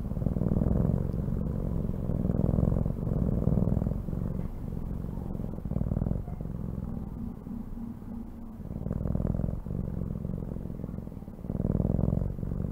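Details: Purring house cat, a low vibrating rumble in swelling bursts that follow its breathing, loud stretches alternating with softer dips every one to two seconds, occasional faint clicks.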